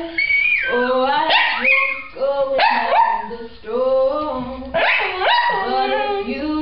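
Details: Gus, a pet dog, sings along to a Christmas song: long wavering howls that slide up and down in pitch, rich in harmonics, rising and falling in three drawn-out phrases.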